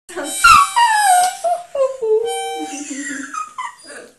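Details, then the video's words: Border Terrier singing along to a harmonica: a loud, tonal howl that slides downward and wavers, then breaks into shorter rising and falling whines, over steady held harmonica notes; a person speaks briefly at the end. "Border Terrier Singing along to a Harmonica"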